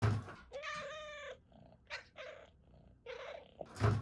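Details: Domestic cat chirping uncontrollably indoors: three bursts of harmonic, slightly trilled chirping, the first longest at nearly a second, with soft low thumps at the start and end.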